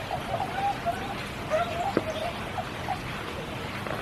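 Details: Spring rain at Kiyotaki, Tokyo, with frogs giving short sliding mid-pitched notes, a couple of brief phrases early on, set against constant rain patter and a single louder drip.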